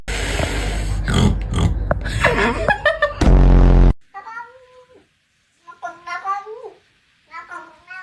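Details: Domestic cat making weird, strained meows, three drawn-out wavering cries with rising and falling pitch, following a loud burst of music and noise.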